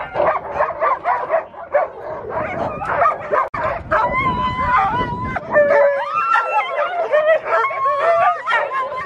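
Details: Alaskan Malamutes, a mother and her daughter, at sled dog training in Farran Park, Ontario, in December, with many other dogs. Dense chorus of wavering howls and yips, overlapping voices sliding up and down, continuous throughout.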